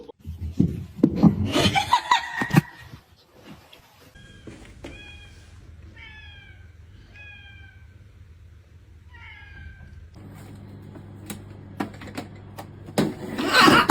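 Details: Cat giving a run of short, soft, falling mews, about two a second, in a quiet middle stretch; laughter and loud rustling come before, with sharp knocks and thumps toward the end.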